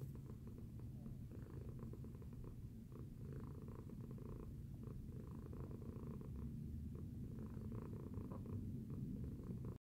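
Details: Purring cat Tacy after breakfast, producing an unbroken deep rumble with soft rhythmic rises and falls in loudness across the whole stretch.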